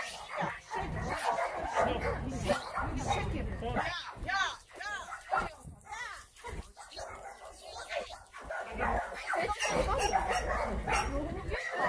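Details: Dogs at the Yangsan abandoned-animal shelter during a volunteer visit, several barking and yelping in irregular, overlapping bursts with higher whining notes, while people talk loudly over them throughout.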